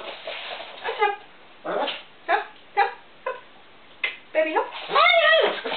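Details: Chihuahua, described as going crazy, letting out short, sharp yips in bursts about every second, ending in a longer rising-and-falling whine, with a person's voice faintly heard.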